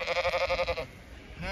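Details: Zwartbles ewe on an Irish farm in County Kilkenny, bleating in anticipation of feeding: a rapid, strongly pulsed tremolo bleat lasting under a second, followed by quieter field noise.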